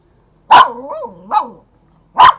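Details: Toy Pomeranian at home in Kathmandu, Nepal, fighting another over a bone: a sharp high bark sliding into a wavering whine-growl, a second yappy note, then another sharp bark.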